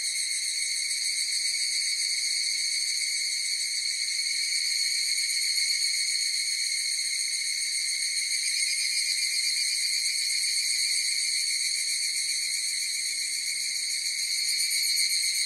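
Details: A long, seamless chorus of higurashi cicadas rings high and tonal, its layered notes holding level and even throughout, with a slight shimmer and nothing else audible beneath.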